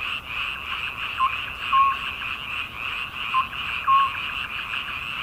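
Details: Midsummer frog chorus, a continuous buzzing trill overlaid by brief whistle-like notes, about two dozen louder calls a minute, sometimes in quick pairs.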